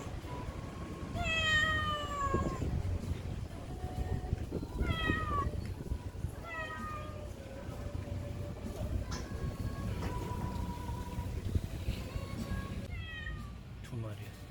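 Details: Stray neighbourhood cats filmed in 2019 on a Samsung Galaxy S9+, giving a string of rising-then-falling meows, some long and drawn out, others short, with pauses between them over a constant low rumble of background noise.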